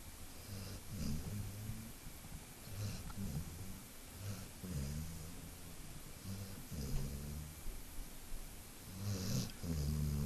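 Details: Dog snoring while asleep, worn out after play: steady low rumbling snores, roughly one breath every second or two, over a hissing background.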